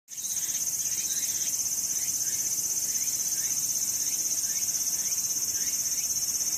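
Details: Cicadas calling in summer at Sakurazawa, Yorii, Osato District, Saitama, Japan, among mountains under blue sky: a steady, dense, high buzzing drone with fast regular pulsing, plus faint short rising chirps repeating in the background.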